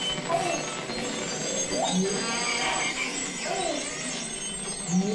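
Two beluga whales trade squeaky, sweeping whistles and chirps that rise and fall like a warbling modem.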